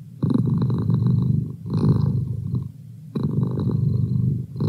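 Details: Close, low-pitched purring of a house cat, rough and vibrating, in breath-length bursts with a short quieter dip between them.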